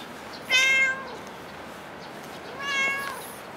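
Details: Two clear, tonal meows from a cat at Dockyard Garden, recorded around 6:25 in the morning on 8 July 2016. The first is louder and slightly falling, the second softer and longer, about two seconds later, over light background hiss.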